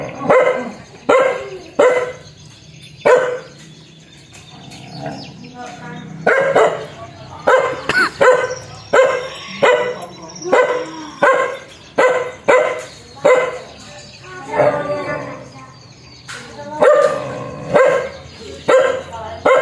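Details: Fierce dog barks hard and fast in irregular bursts, roughly eighty barks a minute, loud sharp yaps with brief gaps and a faint high steady tone behind.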